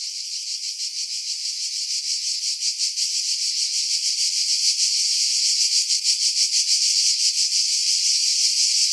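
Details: Cicada song in July 2018 from pines over Pefkos Bay, Skiros Island, Greece; intense high-pitched buzzing chorus, rapidly pulsed, swelling steadily louder, audio filtered after strong wind.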